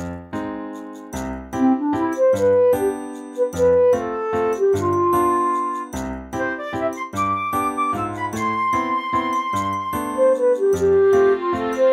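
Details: Cheerful children's music with plucked notes, flute-like melody and light tinkling percussion plays throughout, with no other sounds.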